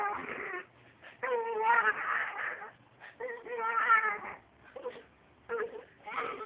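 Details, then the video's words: A wiener dog vocalizes in a 'talking' way: several drawn-out, warbling howl-whines of a second or more each, quivering in pitch, interrupted by brief quiet gaps in a small room. "Talking wiener dog"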